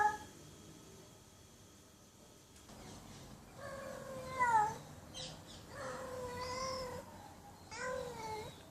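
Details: Cat meowing loudly, several drawn-out wavering meows starting after a quiet first few seconds, fairly faint with a low background hum.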